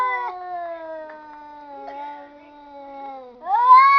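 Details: Cats sounding as if talking: a low, continuous moaning yowl that slowly sinks in pitch over three seconds, then breaks into a sharp, rising, louder meow at the end.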